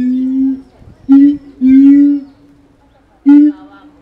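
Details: Siamang Keiji calling energetically in his enclosure at Higashiyama Zoo, Japan, 17 January 2023, FUJIFILM X-S10. Deep steady booms alternate with short, brighter barking notes at irregular intervals, about four phrases.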